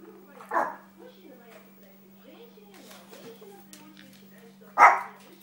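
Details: Small dog playing and training, one sharp bark at the start and another near the end, with soft voices and a steady low hum in the gap.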